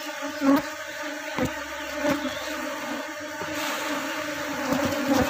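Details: Honey bee colony kept by a beekeeper during drone reduction, done to prevent the colony from splitting and to speed honey production; a steady, low droning hum with layered tones, broken by sharp clicks and knocks of hive handling.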